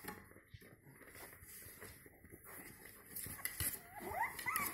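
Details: Jack Russell Terrier puppies, five weeks old, give thin, high whimpers over soft clattering and shuffling.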